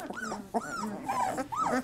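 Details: Quieter whimpering from 3-week-old Labrador Retriever puppies, four arched, rising-then-falling whines in under two seconds, over a low murmur.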